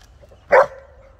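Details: American Bulldog crossed with Dogo Argentino and Whippet, playing on a two-metre rope swing hung from a tree, gives one short, gruff bark; quiet low rumble in the background.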